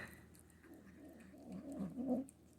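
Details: A young female Manx kitten, newly adopted and possessive about food, makes low, rumbling, gremlin-like growly noises while eating, guarding her food.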